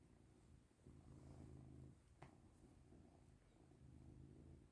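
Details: Domestic cat Caesar purrs as it is rubbed and given affection indoors, a deep continuous rumble rising and falling in breath-length phases, with one sharp click partway through.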